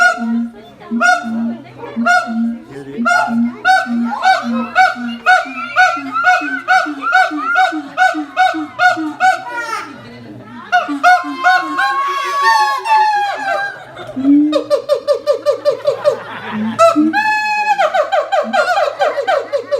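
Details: Siamang parents calling in harmony while their young, silent, still clings to its mother; steady low booming pulses about twice a second under loud barking notes, building into rising, climbing whoops and rapid shrill barks toward the end.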